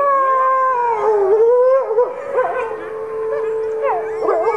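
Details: Pack howl at the Wolf Conservation Center, South Salem, NY: four captive red wolves, two of them pups about nine months old, chorus with Arctic gray and Mexican gray wolves. One sustained, level howl runs beneath higher, wavering voices breaking in and out.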